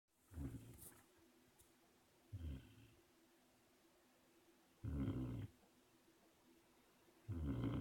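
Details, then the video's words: A sleeping puppy snores in low, rough bursts, four snores spaced about two to three seconds apart, with a quiet room between breaths. "Snoring puppy"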